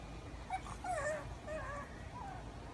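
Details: A female pug puppy whines in high, wavering whimpers, frustrated that she can't fit her favourite stick through the fence doorway.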